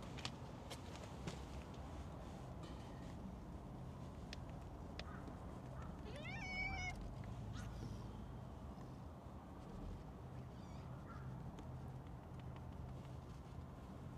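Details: Stray cats: a calico with a heart-shaped marking is being petted when a black-and-white cat with mustache-like markings cuts in. A single short meow rises and then falls near the middle, over a steady low outdoor rumble and scattered clicks.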